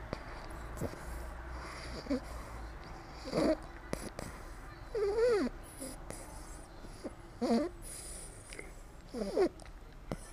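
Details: Two-month-old American Staffordshire Terrier puppy asleep on a lap, dreaming, gives soft, wavering, squeaky whimpers with bending pitch, four short bouts spaced roughly two seconds apart, over quiet room noise.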